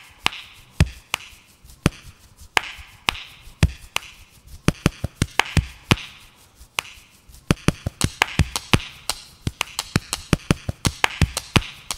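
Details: Sharp percussive taps and chopping clicks in an irregular rhythm, with a faint musical backing and no clear animal voice.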